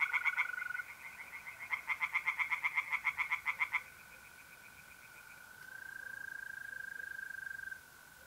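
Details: Pond tree frogs at night in mid-April, north-east Italy, giving quick rattling pulsed croak series that stop abruptly, leaving the smooth continuous trill of mole crickets.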